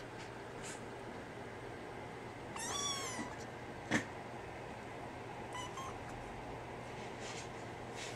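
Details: Brown tabby and white female kitten in Japan, soon moving to a new home in Tokyo; one clear drawn-out high meow, then a sharp click and a fainter shorter meow, over a low constant hum indoors.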